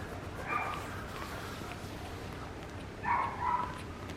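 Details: Papillon puppy named Rin giving two short, thin, high squeaks: one near the start, then a doubled whining squeal about three seconds later. A quiet room hum fills the gaps.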